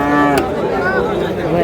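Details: Cow at a cattle market in Ambari, Dinajpur, where animals are sold for Qurbani, giving a low steady harmonic moo under the loud chatter of buyers and sellers, with a brief sharp knock partway through.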